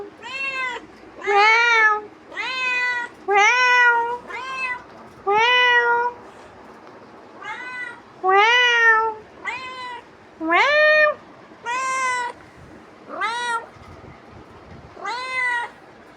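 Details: A pet cat pesters its owner with a long run of short, insistent meows, each rising and then falling, coming roughly every second or two with brief pauses between bursts.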